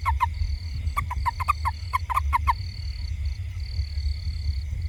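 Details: A toad in a garden around a house gives short, slightly falling croaks in quick irregular bursts over a low rumble.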